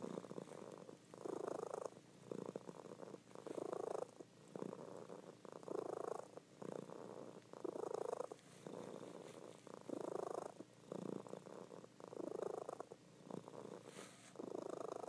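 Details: Loud purring from a pet cat, a female, while she sleeps indoors; even pulses of rumble about every second and a half, rising and falling with each breath in a quiet room.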